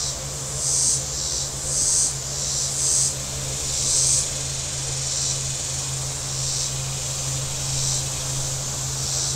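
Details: Shore cicadas at Table Rock Lake, southern Missouri, on a very warm day: several bright rasping bursts about a second apart, then a steadier high drone, with a continuous low motorboat hum underneath.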